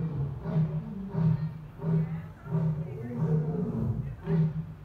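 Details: Asiatic lion in Dublin Zoo delivering a rapid run of deep, throaty grunts, about one every second, each a short booming pulse with rich overtones, steady and rhythmic.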